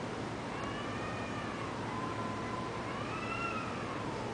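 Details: Taiwanese cats in a catfight: one long, drawn-out wavering wail that slowly rises and falls in pitch, lasting several seconds against steady background hiss.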